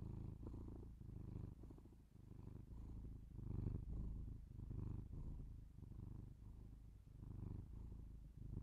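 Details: Domestic cat purring, binaural indoor recording: soft low rumble with uneven breathing swells, a louder stretch near the middle, otherwise quiet surroundings.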